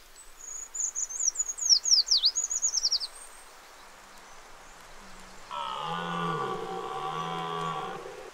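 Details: Red deer in the October rut giving a low, groaning bellow of about two and a half seconds that wavers slightly in pitch. Before it, a bird sings a quick series of high twittering, swooping notes.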